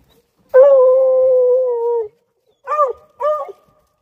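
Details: A female Redbone Coonhound working a wood pile in winter, probably after a rodent inside, gives a long, steady, mournful bay followed by two shorter bawling barks.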